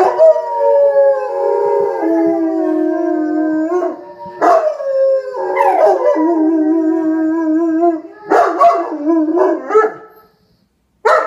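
A German Shepherd howls in long, drawn-out, wavering notes, joined by other howling voices.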